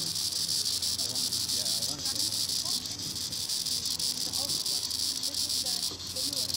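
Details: Green annual cicada, Tibicen linnei, singing in the treetops: a steady, high, hissing buzz with a fast pulsing throb, interrupted by brief dips, with faint low sounds underneath.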